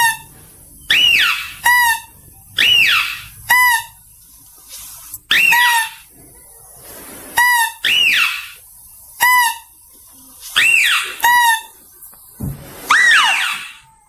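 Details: Clear, high mouse-deer squeals played to attract. Paired notes repeat about every two seconds: a brief flat tone, then a bright note that arches up and falls back. The background is quiet and still.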